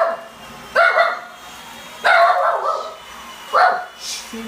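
A small Shih Tzu barks in short, bright bursts, each bark harsh and slightly falling, coming roughly every second and a half. A faint background hum runs underneath.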